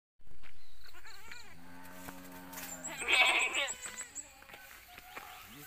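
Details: Newborn goat kids on a village farm in Pacitan regency, among nine born within one week to four mothers; quavering, harmonic bleats rise and fall amid a steady low hum and people talking nearby.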